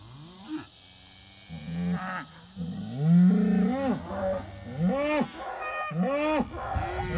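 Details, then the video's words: Excited herd of British White cows in July 2013, worked up over an old hide hanging on a hay ring, phone recording: overlapping low moos and rising-falling bawls, several cattle calling together with arched pitch. "British White Cow Herd Finds the Hide"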